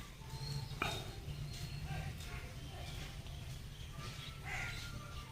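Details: Farm cow kept with its calf gives a low, steady, drawn-out moo lasting about two seconds near the start, followed by quieter rumbling, with faint bird chirps and background noise throughout.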